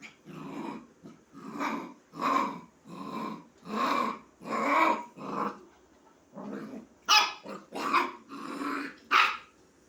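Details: Puppy inviting a kitten to play with a long run of short growling barks and yaps, roughly a dozen bursts, some sharper and higher toward the end.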